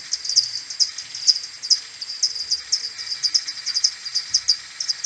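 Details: Common pipistrelle maternity colony returning to its roost in the morning on 21 May, recorded with an AudioMoth 1.1 and slowed ten times: a dense stream of short, sharp chirping pulses from several overlapping bats, about five to eight per second.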